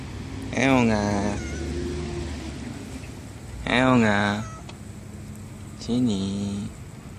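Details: Library street cat Aeong, one of several strays that come when called, answering with three drawn-out wavering meows spaced about three seconds apart, a person's calling voice between them and a steady low background hum.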